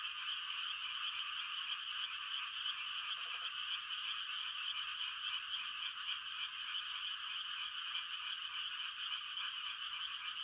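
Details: A dense chorus of frogs giving mating calls on a quiet country night in the rice-planting season, a continuous overlapping croaking wash with many callers at once, steady throughout with no other clear sounds.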